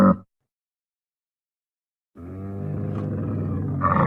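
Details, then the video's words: Wild Bactrian camel (Camelus ferus): a clipped call, a long pause of silence, then a low, rumbling, harmonic groan that swells slightly at the end. "Wild Bactrian Camel (Camelus Ferus) Sound Effects"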